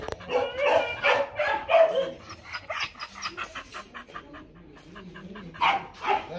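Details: Demanding, non-aggressive barking from a female Mong Coc dog kept at a kennel in Vietnam: a run of quick, irregular barks and yips, loudest near the start, with whiny tones in between.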